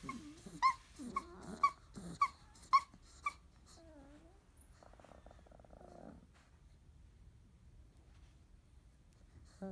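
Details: Field-line Labrador Retriever puppies, 30 days old, in a litter that woke, nursed, ate and played roughly together before growing sleepy; sharp high yelps about twice a second, then a short falling whine and a soft buzzy rasp, with quiet between.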